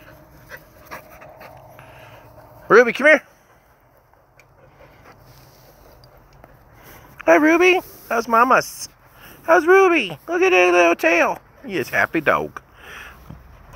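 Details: English Springer Spaniel puppies from Ruby Todd's first litter, the Harry Potter litter of Hagrid, Luna and Bellatrix: a short whine, a quiet pause, then a run of bending, wavering whimpers and yelps in quick bursts.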